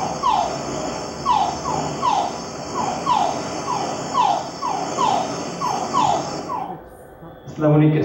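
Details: A male rain frog of the family Leptodactylidae calling to females from hidden small puddles, such as hoof prints in open habitats near communities, Yucatán Peninsula, gives short, falling whines about twice per second. Leptodactylid frog.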